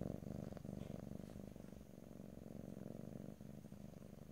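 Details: Purring domestic cat recorded ear to ear in stereo with no speech: low, rapidly pulsing rumble, louder at first then settling, continuous with small breaks between breaths.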